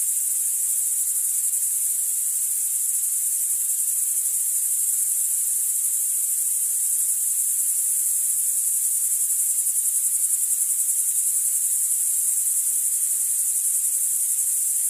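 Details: A steady, high-pitched hissing buzz of bow-winged grasshopper song in European grassland, dense and unbroken like a chorus of insects.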